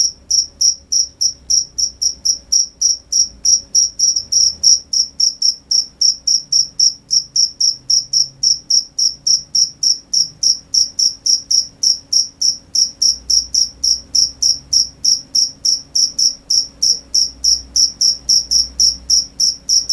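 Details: Crickets at night, a steady stream of short high-pitched chirps repeated about three or four times a second, bright and even, with a faint low hum underneath.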